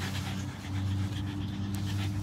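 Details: Pug panting indoors, described as happy and smiling: steady low rhythmic breathing with a buzzy, droning quality and no other clear sounds.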